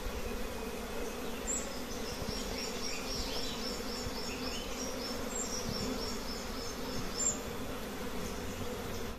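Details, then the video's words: Many honey bee colonies at a simple nest give a constant low buzzing drone, overlaid by repeated high twittering bird calls and brief sharp chirps. "Honey bee nests are simple but there are many colonies"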